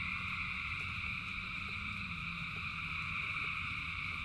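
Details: A massed chorus of frogs in rain sustains a high, even, buzzing drone, with a faint lower droning note and a background rush of rainfall.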